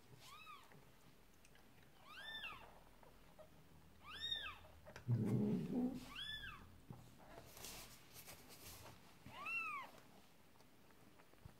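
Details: Indoors during a Persian cat's labour as a second kitten is born, five clear, rising-then-falling high mews spaced about two seconds apart, with a burst of low rustling in the middle.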